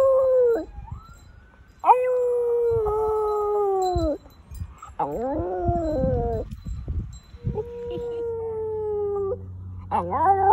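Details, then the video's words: Pet dog howling in practice, March 2020: a series of drawn-out howls, each held one to two seconds and sagging at the end, with a wavering, quavering stretch in the middle and a rising note at the close. "FOX Howling"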